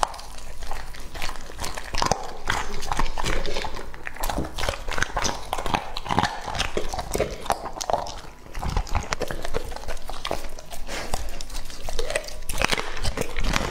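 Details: Lucky, a two-and-a-half-year-old male English-type Labrador Retriever, eats raw meat in a close-miked ASMR recording. Dense wet chewing and crunching clicks come steadily for the whole stretch, with a short quieter pause near eight seconds.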